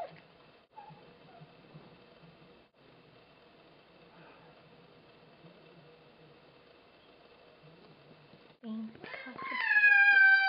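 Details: Bengal cat named Bambu, being introduced to another cat called Kitty; a long quiet stretch of faint room hum and soft murmuring gives way to a loud, strained, wavering meow near the end.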